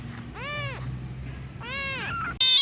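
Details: Kitten calling for its mother with two drawn-out, arched meows about a second apart, each rising then falling, over a low background hum; a short sharp noise cuts in at the very end.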